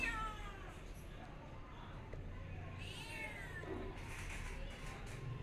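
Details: Cat giving two drawn-out meows, the first at the start and a second rising-then-falling one midway, with low background rumble and faint hiss.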